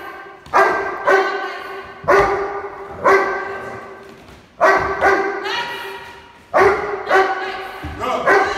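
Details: A Doberman, 14 months old, gives loud single barks during object guard training, about eight spaced irregularly roughly a second apart, each ringing with a rich harmonic tone that fades between barks.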